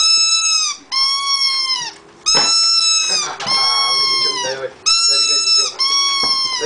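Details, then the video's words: Birthday singing from a one-year-old Rhodesian Ridgeback: sustained high howled notes, several sliding down at their ends, repeated with brief gaps, in an indoor setting. "Rhodesian Ridgebaack singing"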